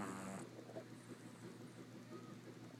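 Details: A Boston Terrier puppy snores softly during a morning nap, a low rumbling breath opening with a brief raspy snort.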